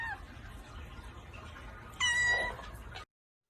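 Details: Pet cat giving one short, level, clear meow after a few seconds of quiet room noise, then the sound cuts out abruptly.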